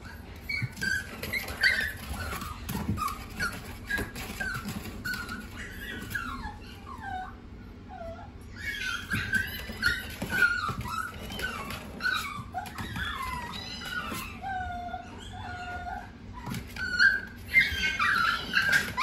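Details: A smooth-coated Chihuahua indoors giving many high, thin whining yelps, falling and wavering, in bursts of several per second with short gaps; a steady high electrical tone runs underneath throughout.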